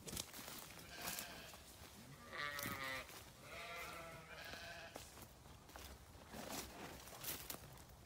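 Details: Grazing sheep on a farm give two wavering, harmonic bleats, one at about two and a half seconds and one near four seconds, over steady rustling and crunching noise with scattered clicks.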